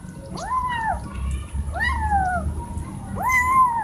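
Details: Loud cat meows asking for something like food or attention: three clear, arching harmonic meows in under four seconds, each rising then sliding down, with low background rumble.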